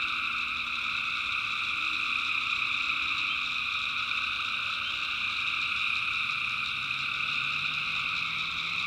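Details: Tree frogs calling at night in the backwoods of North Carolina, personally recorded; a dense, unbroken chorus of overlapping high trilling layers holds steady throughout, with no pauses and only faint low rumble beneath.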